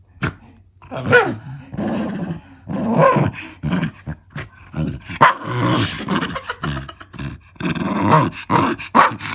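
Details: Black Shiba Inu female, aged eleven, playing with her owner's feet indoors and growling without anger; continuous bouts of gruff snarling and grumbling with occasional sharp yaps and thumping movement noises throughout.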